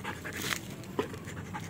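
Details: Belgian Malinois during training, panting in a short burst of breathy, broadband puffs with faint background noise and laughter following.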